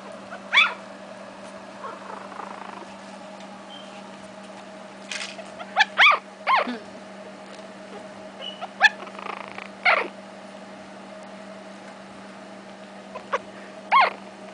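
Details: Seven Shih Tzu puppies, three weeks old, give short, high squeaks, whimpers and whines scattered among quiet gaps.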